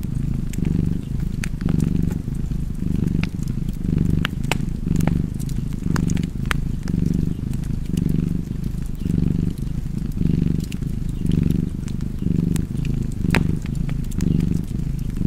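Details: Relaxed cat purring without pause, a soft rumbling hum cycling with its breathing about once a second, over a background of crackling fireplace embers and occasional snaps.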